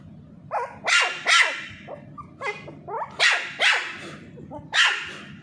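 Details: A Pomeranian (Indian Spitz) puppy, playing with a ball while being teased, gives shrill, yappy barks in quick pairs and triplets.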